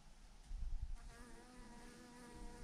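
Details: Thousands of honey bees hang in a massive swarm clumped on a branch, giving a steady droning hum with layered overtones that swells after the first second, over low rumbling wind.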